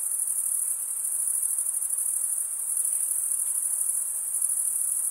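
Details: Male crickets stridulating, producing a dense, shrill, even trill held at one high pitch for the whole stretch, faintly wavering in volume with no gaps.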